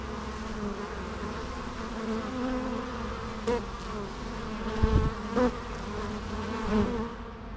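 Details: Bees buzzing as a steady low hum with harmonic bands, a few louder passes as single insects fly close to the microphone.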